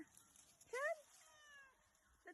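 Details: A house cat that stayed away overnight gives one short, bright, rising meow, followed by a fainter falling tail and a soft low sound near the end.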